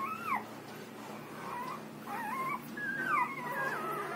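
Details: A 6-day-old Rottweiler puppy at milk feeding whines in thin, high squeals that bend up and down in pitch, in short, uneven bursts roughly every second, with a soft background hiss.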